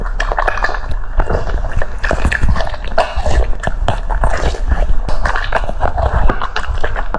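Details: A French Bulldog munching cucumber pieces: irregular juicy crunches, some single and some in quick bursts, over a soft background of mouth and jaw sounds in a small room.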